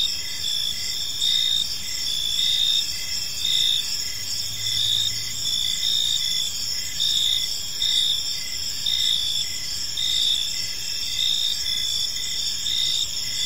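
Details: Evening park ambience of many crickets, layered high-pitched trills held constant while a lower, softer chirp pulses in short regular beats, with a quiet low rumble underneath.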